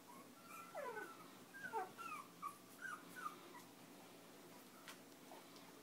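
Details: Chinese Crested puppies five weeks old, playing and nursing while fostered with their mother through Almost Home No Kill Animal Rescue, give a string of thin, falling whimpers and brief squeaky yips, about six in quick succession, then a few soft rustles.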